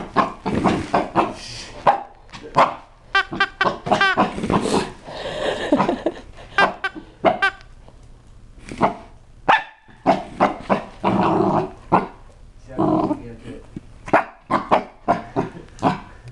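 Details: Rocky, a seven-month-old Chihuahua and Cocker Spaniel mix weighing 12 pounds, barks at his new toy at home; short sharp barks come in bursts with pauses, while people speak in the background.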